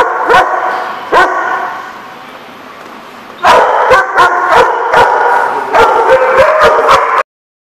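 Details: Several dogs barking at a dog-care facility: two isolated sharp barks, a brief quieter pause, then a rapid flurry of overlapping high yips and barks, echoing in a hard-walled space, ending abruptly.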